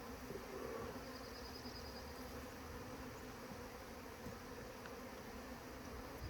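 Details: A honey bee swarm drones in a steady, low hum that holds an even pitch throughout, set against a broad background hiss with no other clear sounds.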